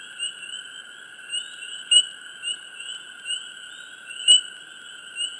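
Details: Frogs chirping up close in a quiet swamp: short, sharp high chirps every second or two over a steady, dense, high-pitched droning chorus.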